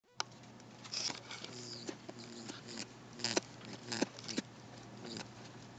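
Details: An unneutered male pet rabbit in a confined space makes quiet, low buzzing grunts in brief bursts, a sexual noise. Scuffling and patter break in over a steady electrical hum, and he thumps at the end when his attention goes unreturned.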